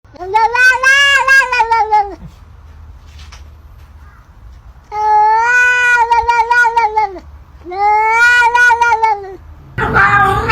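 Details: Cat giving three long, loud, wavering meows of about two seconds each, rich in harmonics, separated by short pauses, ending with a burst of noisy speech.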